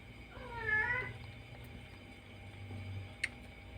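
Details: One of two cats nursing gives a single short meow that rises then falls, heard over a steady low hum indoors, followed by quiet and a soft click.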